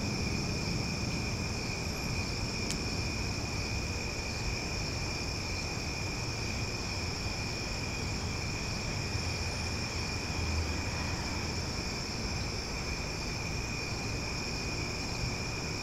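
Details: Cicadas at night in Omaha: a steady, unbroken insect drone with a high whining ring over a low rumbling background hiss; loud but relaxing.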